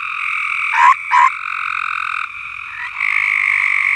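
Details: Farm frogs singing: a steady trilling chorus with two quick, loud upward notes close together, followed by a louder renewed trill.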